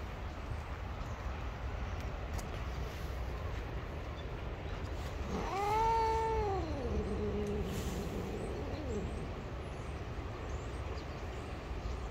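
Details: Angry gray street cat that bites when touched gives one long moaning yowl, swelling upward then sagging into a lower, wavering drawl lasting nearly four seconds, against constant low background hum.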